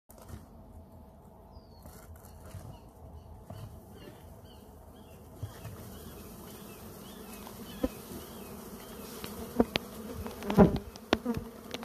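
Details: Africanized honey bees, a colony nesting inside a cable pedestal, making a low, steady droning hum that grows louder toward the end, mixed with scattered clicks and knocks.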